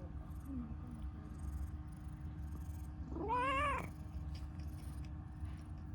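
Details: Affectionate, chatty pastel calico stray cat giving one clear meow of under a second that rises and then dips, after a couple of soft faint chirps; quiet steady hum behind.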